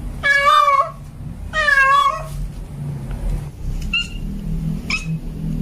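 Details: Tomcat in heat calling for a female: two long, loud, wavering meows with strong harmonics, then a few faint short calls after a pause, over steady low rumble.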